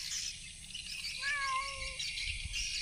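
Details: Cat hunting rats in a rice field, gives a single drawn-out, even meow of under a second against a steady hiss of insects or wind, with a person talking nearby.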